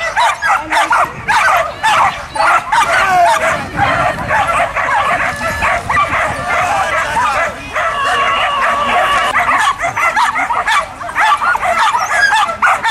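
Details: Working border collies, excited repeated yelping barks, roughly two per second with irregular spacing, several overlapping voices, a person speaking nearby.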